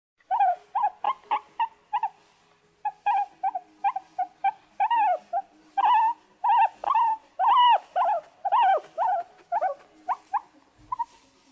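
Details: A pet guinea pig gives a rapid run of short, squeaky calls, each bending up then down in pitch.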